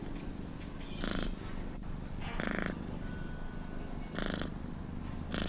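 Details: Domestic cat purring: a steady low rumble broken by louder, breathy bursts about every one and a half seconds.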